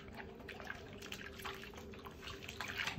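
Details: Dripping and splashing water in a small bathroom with a faint steady tone and a thump at the end, and no animal calls.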